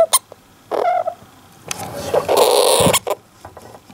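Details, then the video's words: Don-chan, a Syrian hamster alone in its cage, gives a rare, strange cry, perhaps while drowsy or irritated; a short nasal squeak with faint overtones, then a longer rough, breathy grumble, with small clicks and rustles between. "ハムスターの珍しい鳴き声 Hamster's rare cry"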